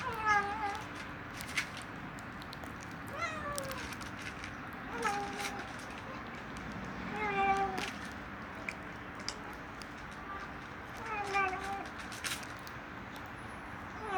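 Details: Hungry kitten mewing while eating: short high mews with rising-falling harmonics, repeated roughly every one to two seconds, with light clicks and chewing noises in between.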